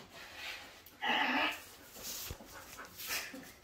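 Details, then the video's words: Evening living-room play between Bonny, a Bull Terrier mix pup of seven months, and Lucy, an Airedale Terrier aged seven. A single high, tonal whine lasts about half a second amid soft rustling. "Bonny and Lucy playing in living room"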